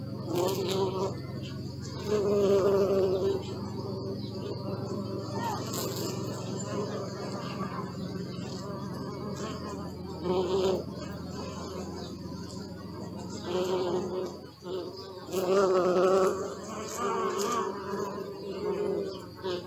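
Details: Bees buzzing during a long recording session: a low continuous drone broken by louder passes where the wing hum rises sharply and then drops away, with faint twittering of birds in the background.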